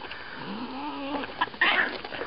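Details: Tabby cat growling, a low drawn-out rising growl that gives way to harsher noisy bursts near the end, with a person speaking nearby.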